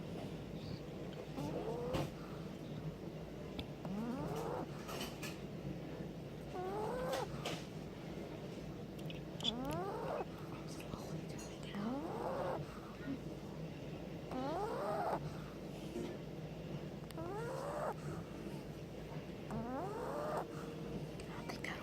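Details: Boston Terrier puppy asleep on its owner, snoring: a whistly, rising nasal squeak on each breath, repeated roughly every two and a half seconds, over a low steady breathing rumble indoors.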